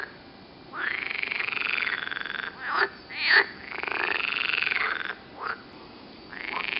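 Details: Green frogs croak near Turku, Finland: long buzzing, grating croaks that rise and fall, interrupted by short sharp calls, and the droning resumes toward the end.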